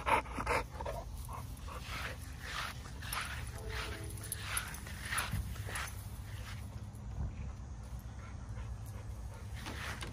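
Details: Zeus, a lilac tri American Bully pitbull, spends an hour outside in the morning sun. He pants in quick, breathy, rhythmic bursts, roughly two or three per second, over a steady low hum.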